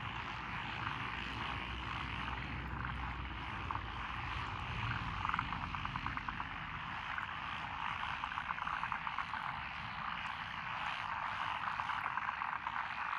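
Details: Frog chorus from lotus rice paddies along a country road in Echizen, Fukui, Japan, June 12, 2021, mixing Japanese tree frogs, black-spotted pond frogs, wrinkled frogs, Schlegel's and forest green tree frogs: dense continuous trilling croaks under a low engine-like rumble.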